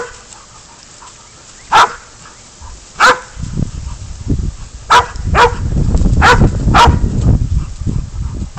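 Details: Hunting dog Spud bays at a goat before catch and release. A few sharp, separate barks come over the first half, then several more sound over heavy low rumbling noise that fills the second half.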